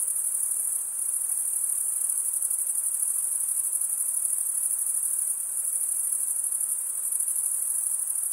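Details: A chorus of crickets, males producing the chirp with their wings, gives a bright, high, rapidly pulsing trill, unbroken and even in loudness, with a brief dip just before one second.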